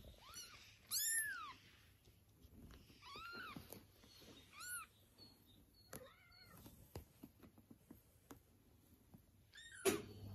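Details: Mother cat rescuing her kittens after they were taken, responding to their meowing; a few scattered high meows, loudest near the start, separated by quiet stretches with clicks, taps and a thud at the end.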